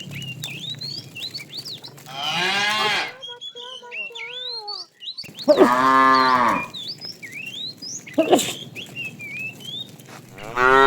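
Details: A tame herd is herded in the afternoon while a fat cow calls the female. Three harmonic moos come a few seconds apart, the middle one the fullest, amid constant chirping and whistling birds.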